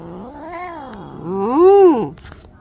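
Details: Angry cat during a bath, a low moaning yowl that wavers, then swells into a louder arched howl before cutting off, with a woman murmuring in Bengali afterward.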